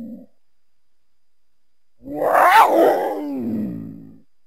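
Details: Mountain lion letting out a single drawn-out, rasping growl that swells and then fades over about two seconds after a brief earlier grunt, with nothing else audible.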